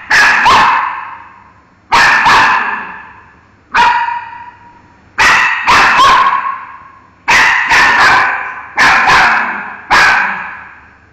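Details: Miki, a pet dog, barking at a mango: sharp barks in quick pairs and bursts, each a broad harmonic crack with a short tail, coming roughly every two seconds across the stretch.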